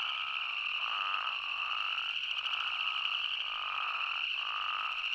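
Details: Spadefoot toads calling in Arizona: a dense chorus forming a steady high droning band, with lower bleating calls rising and falling over it, overlapping without pause.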